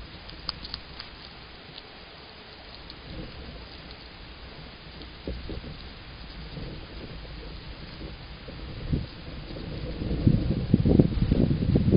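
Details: Steady rain patters throughout, with low rumbles of thunder and the downpour growing heavier and louder toward the end.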